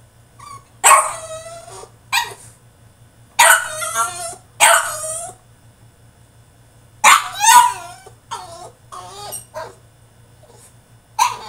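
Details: Tantrum from a male French Bulldog in his cage: harsh, rasping barks mixed with high whines. They come in bunches separated by short silences, then a final bark at the close.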